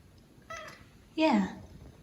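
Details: Pippin, a Maine Coon cat, sneezing over his owner indoors; a short nasal sound followed by a louder, sharp sneeze that sweeps downward, in a quiet small room.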